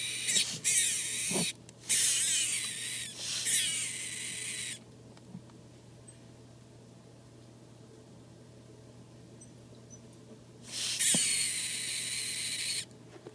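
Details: A week-old female super snow leopard gecko hatchling, hatched mid-August 2013, gives harsh, hissy defensive screeches in bursts of about a second separated by quiet, reacting to being approached, handled or sprayed.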